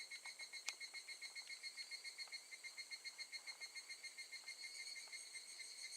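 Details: Higurashi, the evening cicada, calling at Gakujin no Mori campsite, Tokushima, in August 2018; shrill metallic trill beating rapidly and evenly, with a sharp click near the start and soft background ticking.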